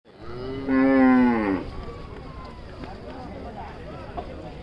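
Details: A big cow being unloaded from a vehicle gives one loud, low moo lasting about a second, rich with stacked harmonics.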